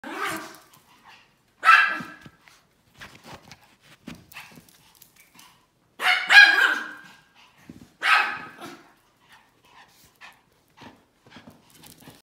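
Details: Pomeranian barking during playtime: sharp, high yappy barks, single and in quick pairs, spaced a couple of seconds apart, with quieter snuffles and small clicks between them.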